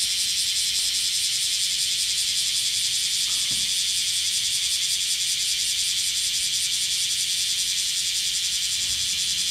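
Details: Summer chorus of black cicadas in Kyoto, western Japan, a noisy insect typical of the hot Japanese season: a dense, continuous shrill drone, finely throbbing, with no other clear sounds.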